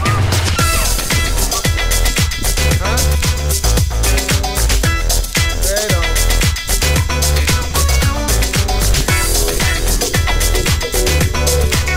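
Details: Steady electronic dance music with a thumping beat and bright synth lines throughout, and perhaps a hint of voice under it; no animal calls stand out.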